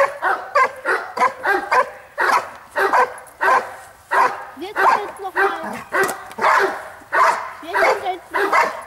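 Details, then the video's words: Giant Schnauzer Bayuma from Blackmoore barking in a steady series, about sixteen rapid, ringing barks over nine seconds with short gaps between. "Blackmoore Giant schnauzer"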